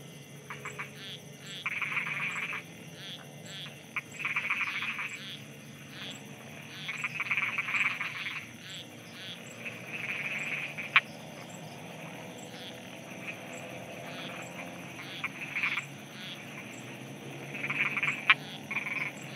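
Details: Frogs croaking at night in Thailand: bursts of rapid, rattling pulsed calls every few seconds, some overlapping, over a steady high insect-like hiss and faint low rumble.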